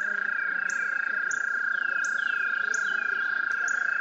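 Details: A male American toad (Anaxyrus americanus) at a shallow breeding pond gives a long, steady, high musical trill, its spring mating call to attract females.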